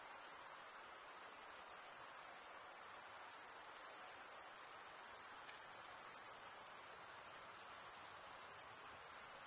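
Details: Crickets chirping, the stridulation mostly of males: a constant, shrill, high-pitched trilling with a quick, regular flutter. It continues without any gaps, and the background is quiet.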